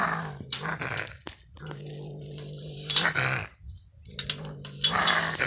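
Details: Odd, hoarse vocalizing of a gray fox at a lake: a low droning buzz broken by scratchy, hissing bursts and short gaps, sounding strained and cracked across a few uneven phrases.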